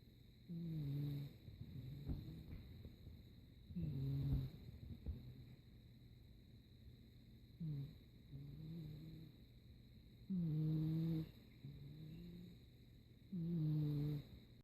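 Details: Sleeping cat snoring softly indoors: low, rough breaths with faint tonal overtones, louder snores roughly every three seconds, some quieter in between, against a steady low hum.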